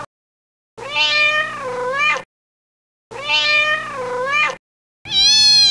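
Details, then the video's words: Outdoors in a garden, kittens utter two long, loud, wavering meows that rise and dip, separated by silence, then a cut to a strained, high meow. "Funny Cat Sounds"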